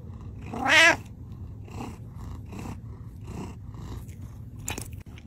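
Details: Butters, a male pet cat wearing a tie, gives one loud, clear meow lasting about half a second that rises and then falls. Quiet room noise and soft rustling follow, with a faint click near the end.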